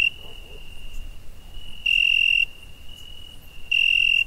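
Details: Summer night cricket giving a continuous high-pitched trill, with two loud, ringing half-second bursts standing out above the soft steady tone and a faint low rumble.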